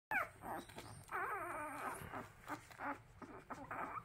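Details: Orphaned puppies on their second day of hand-rearing, lost their mother before their eyes opened, whining from hunger: high, wavering whimpers that rise and fall, overlapping in quick bursts with short pauses.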